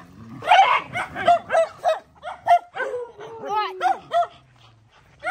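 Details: A mother dog barks in rapid bursts while fighting to protect her puppies, sharp repeated yelps and barks about every third of a second, with lower growling tones and whining slides in between.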